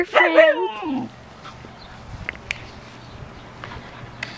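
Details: A female Siberian Husky talking to a neighbouring dog through a fence: one rich, harmonic, wavering whine-howl about a second long that slides downward, then quiet with a low steady hum and a few faint clicks.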